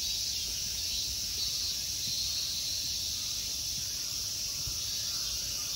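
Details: Summer insects in the temple park of Ikegami Honmonji, Tokyo, Japan, keep up a steady, dense high-pitched buzzing drone with no breaks, a shimmering wall of sound over faint low rumble.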